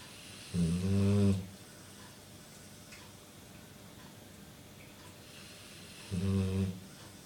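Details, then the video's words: Pet dog, female, snoring while awake indoors; two short droning snorts with a steady low buzzy tone and stacked harmonics, about 0.8 seconds each, the first near the start and the second near the end, quiet room between. "Dog snoring whilst awake"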